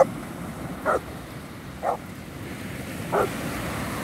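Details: Cane Corso named Daffi in Ustka in 2019, giving three short, deep barks about a second apart over steady rushing surf and wind noise.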